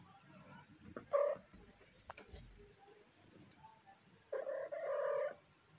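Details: Domestic cat giving a purring meow: a short, bright meow early on, then after a quiet stretch with faint clicks and rustles, a longer, steady, harmonically rich trilled meow lasting about a second.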